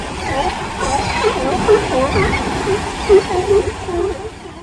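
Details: Newborn sea lion pup in California crying loudly for its mother's attention while the mother vocalizes nearby: a run of short, wavering, upturned tonal cries, several in quick succession, over a busy background murmur of people and traffic.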